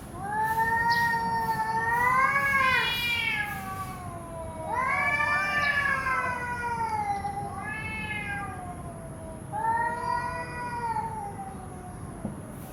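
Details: Cats fighting: drawn-out wavering yowls with rising and falling pitch, four long cries over about twelve seconds, with faint background hiss.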